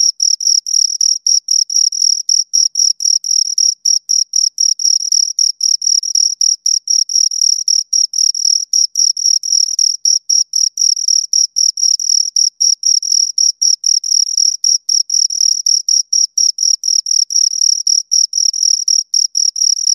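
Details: Continuous stridulation by two crickets, a long unbroken series of high, rasping chirps at about four per second, very loud and close, no other sounds present.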